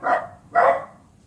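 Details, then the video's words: A dachshund gives two sharp, harsh barks about half a second apart at a neighbour's dachshund it cannot see; the two dogs bark back and forth now and again. "Sorry, my dog is barking at the neighbor's dog. They're both dachshunds and they can't see each other."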